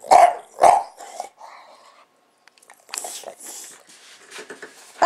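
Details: Bulldog kept as a house pet, worked up by a running camera: two loud, rough barks open, followed by softer grumbling and scattered quieter barks in a small room.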